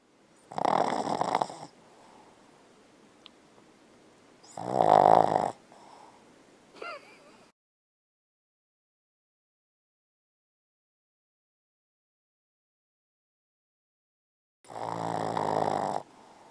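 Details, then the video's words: Bella, a Boston Terrier, sleeping and dreaming while snoring loudly: long rasping snores come in broad bursts of about a second, with a short squeaky whimper after the second snore. A long silent gap follows before one more snore. "Boston Terrier Snoring & Dreaming"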